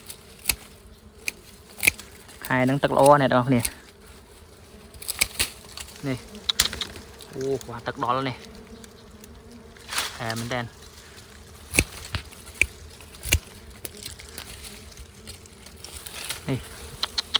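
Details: Bees buzzing during wild honey hunting as combs are cut. Short loud buzzing bursts pass close by at about 2.5, 7.5 and 10 seconds among scattered clicks and handling knocks, with a quiet background between them.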